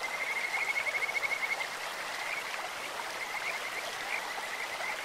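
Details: Kajika frog in a clear mountain stream giving a rapid, high trill of rising pulses for about a second and a half, then softer scattered notes, all over constant rushing water.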